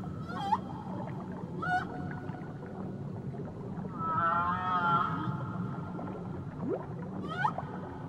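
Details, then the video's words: Whale song from a relaxation recording of Tahiti: short upswept chirps near the start and end, with a wavering, harmonic moan at four to five seconds over a steady low ocean rumble. "Nature Sounds Only Whales & Beaches"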